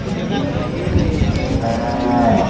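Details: Bullock at a busy market in Deulgaon Raja on 8 June, trading brisk ahead of sowing season; a low drawn-out moo rises near the end amid a crowd of men talking and haggling.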